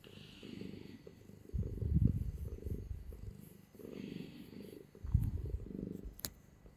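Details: Cuddly domestic cat held close and purring, a soft low rumble rising and falling in waves, strongest in two surges, followed by a single sharp click just before the end.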